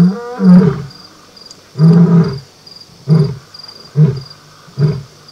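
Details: Lioness and lion roaring at night before a hunt: a deep moaning series of five grunts that grow shorter, about one a second, over a steady high trill of crickets.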